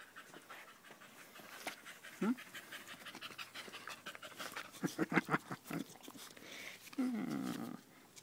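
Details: Danco the dog, recorded 5 August 2013 while staying glued to someone's leg, pants in quick airy breaths, broken by short voiced sweeps and a louder stretch near the end.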